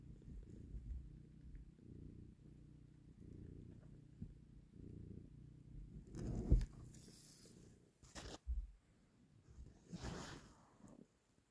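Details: Mother cat taking her kitten back from a person's hand; steady low rumbling purr in rhythmic pulses roughly once a second for about six seconds, followed by rustling and handling noises.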